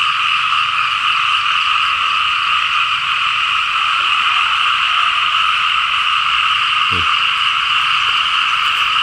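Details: A dense, steady frog chorus in rice fields in rural Laos after overnight rain: a continuous wall of high croaking and trilling.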